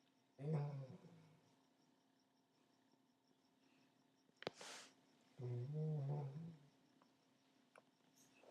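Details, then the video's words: Sparky, an old Golden Retriever, snores loudly while asleep indoors: two low, rumbling, throaty snores about five seconds apart, with a sharp click and a short breathy rustle between them in a quiet room. "Dog Snoring Loudly"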